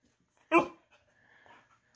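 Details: A female Siberian Husky, told no, gives a single brief, harsh, woo-like howl, talking back to demand her treat; faint quieter vocal sounds follow with a person speaking; Siberian Husky.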